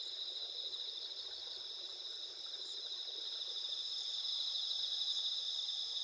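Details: Autumn night insects singing in the farmland of Asuka village, Japan, 20 September 2021, under an almost full moon with a clear sky: bright, shrill, overlapping trills that swell slightly louder toward the end.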